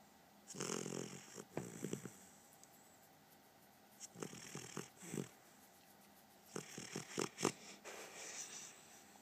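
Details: Snores from a sleeping puppy come in rough, wheezy clusters of quick stuttering breaths, three bouts separated by quiet stretches, with faint snuffling between them.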